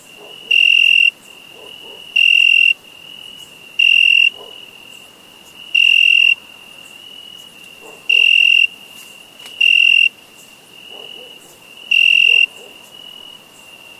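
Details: Chirping crickets in summer: eight sharp, high, pulsed bursts every one and a half to two seconds, against a steady shrill drone and faint soft clicks lower down.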